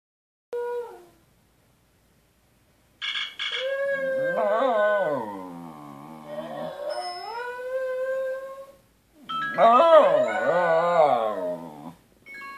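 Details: Wire-haired fox terrier, a pet dog at home, howling at another dog of the same breed shown on a screen; drawn-out wavering howls that rise and fall, with a short yelp-like note first and a pause before the long howling.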